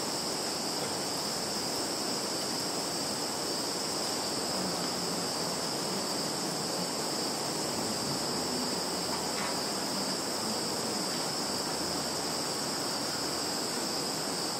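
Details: Continuous shrill drone of many insects in a field in Kaluga region, Russia, captured on 11 September 2019 with a Samsung Galaxy phone; the high whine stays even and unvarying throughout, with only a faint tick near the middle.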